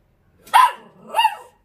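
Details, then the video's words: Short-legged Dachshund answering a man in a back-and-forth exchange: two barks, the first sharp and loud, the second softer and drawn-out with a slight whine. "숏다리 닥스훈트 폴리쉬 vs 멍멍이삼촌 대화가 되는 넘"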